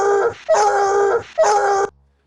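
A Bluetick Coonhound bays twice in quick succession, each howl a fairly flat, full-throated note lasting about half a second. The tone is rich and brassy, with a slight wavering in pitch through each cry.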